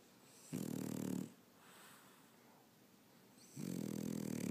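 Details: Sleeping French Bulldog, a female, snoozing on its owner on a Saturday afternoon: two loud, harsh, rasping snores with strong low buzzing, each lasting under a second, separated by a quiet breathing gap of about two seconds.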